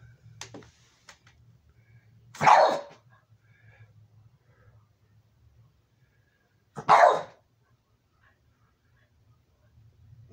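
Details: Aging, almost blind Boston terrier, about sixteen, playing indoors with its toys; two sharp single barks about four seconds apart over a quiet room with faint low hum.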